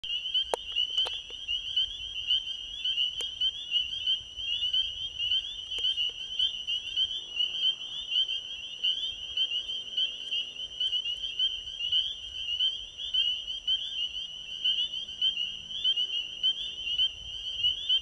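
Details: Spring peepers calling at an ecovillage pond at night, with Venus and Jupiter visible in the sky: a dense, continuous chorus of high, shrill, overlapping peeps forming a steady ringing band, a few faint clicks near the start.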